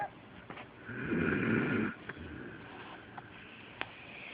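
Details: Pet dog Delilah asleep, giving one rough snore under a second long, followed by soft breathing and a few faint clicks.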